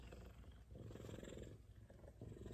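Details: F2 Savannah cat purring while being petted and affectionate at home; a steady, low rumbling purr with faint pulsing runs throughout, briefly softening midway, with no voices heard.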